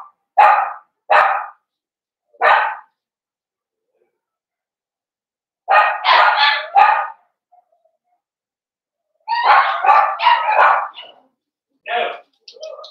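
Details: Blenheim Cavalier King Charles Spaniel puppies from a litter of five in an indoor puppy pen; sharp high barks in short bursts, single yaps and rapid clusters of three to five, separated by quiet pauses.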